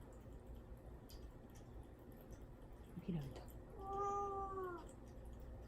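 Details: Cat Mame Daifuku, shut in a cage before neutering surgery and fasting, wanting out: a short chirp followed by one long, slowly falling meow indoors, with faint room noise behind.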